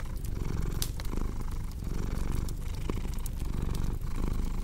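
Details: Rumbling cat purr, steady and low, alternating inhale and exhale phases about every 0.7 seconds, accompanied by crisp snapping crackles from a fireplace.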